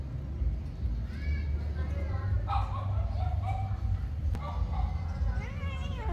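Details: Angry cat chased by a kitten; thin, wavering meows rising and falling, one ending in a downward slide, over a strong low rumble of background noise.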